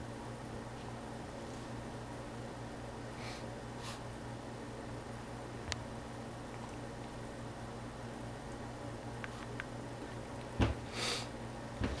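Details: A quiet indoor room with a steady low electrical hum and fan-like hiss, a few soft clicks and a brief rustling bump near the end, and no animal calls.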